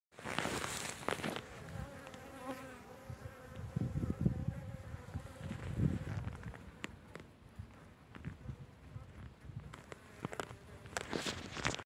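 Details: Honey bees at their hive entrance on December 17th, active during a mild winter, hum steadily in a low droning buzz with wavering overtones, broken by occasional soft thumps.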